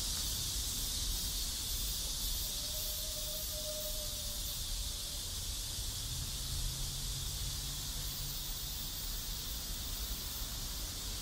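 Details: Cicadas around a South Korean neighborhood keep up a continuous high, hissing drone; faint tonal hums and low ambient rumble sit beneath.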